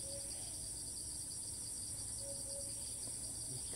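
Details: Wild cicada in Thailand that moves from place to place and resumes calling on landing, filmed from afar with a monopod: continuous high, throbbing buzz with faint rhythmic pulses and occasional brief low whistled notes.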